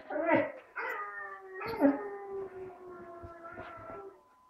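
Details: A 4-month-old tricolour Basset Hound, just learning to howl, gives drawn-out, wavering howls with steady harmonic tones.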